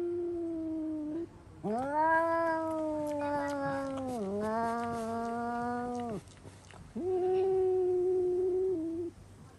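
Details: Indoor cats letting out screaming cries, typically triggered by spotting a cat outside; a steady low moan, then a loud four-second rising and falling yowl, another shorter wail after a pause.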